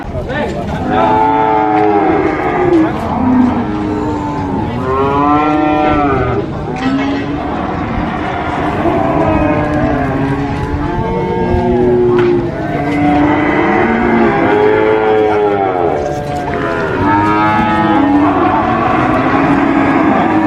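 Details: Cattle, sacrificial cows for Eid al-Adha, at a market, several animals mooing in overlapping, arching harmonic calls nearly continuously, one after another, with faint crowd noise behind.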